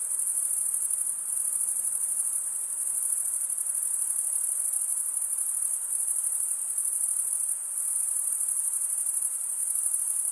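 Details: Continuous high-pitched cricket stridulation, a dense shimmering trill that holds level throughout with slight pulsing swells. No other animals or noises stand out.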